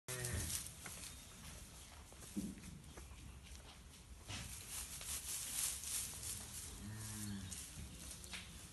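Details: Newly born British and Irish Friesian calves from AI breeding, January or February 2018, in a large group of about fifty; short low calls at the start and a longer wavering moo near the end, with rustling, shuffling and background noise throughout.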